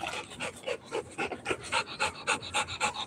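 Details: Rottweiler puppy panting during play time with a ball: rapid, steady, breathy huffs, about three to four per second, with a person's voice briefly nearby.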